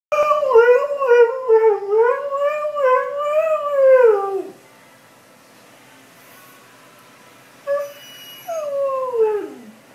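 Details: Greyhound babbling with a long, wavering, howl-like vocalisation that rises and falls for about four seconds, then a pause, followed by a brief yelp and a shorter descending moan.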